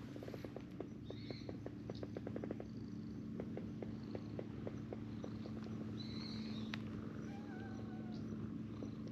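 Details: Stray cats on a bench, a brown tabby-and-white cat among them, being petted as companion cats climb up; soft regular pulsing purr-like beats over a steady low hum, with a few thin high chirps.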